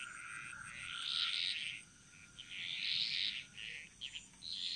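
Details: Frogs singing in chorus in the jungle of Bali, Indonesia: two long, dense, buzzy high-pitched bursts of overlapping calls, each lasting about a second and a half, separated by short gaps, over a faint steady high hum.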